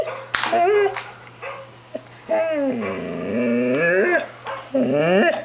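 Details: Ten-month-old puppy barking at dogs on a computer screen: loud harmonic barks and drawn-out howling whines that rise and fall, several bursts over five seconds, steady electrical hum in the background.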